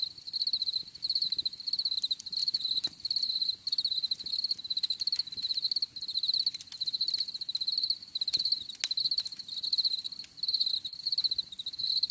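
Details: Crickets chirping for a calming nature scene, a shrill pulsed trill repeating in rhythmic bursts about twice per second throughout, over quiet low rustle.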